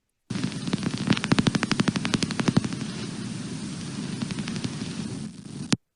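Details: Brown long-eared bat echolocation calls from a bat detector played back, a quiet species whose calls are likened to blowing bubbles through a straw into liquid; rapid dry clicking pulses, about four per second, over a steady hiss and low rumble.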